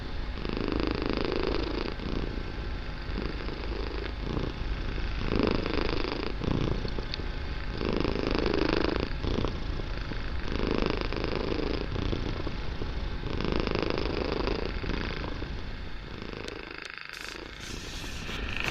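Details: Young domestic kitten purring very loudly at home, filling the room; deep continuous vibrating rumble that swells and fades in rhythmic cycles with each breath, a short rustle near the end.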